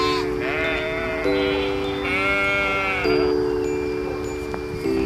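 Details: Sheep bleating in wavering, quavering calls, one near the start and a longer one mid-way, heard over chiming music with steady sustained tones.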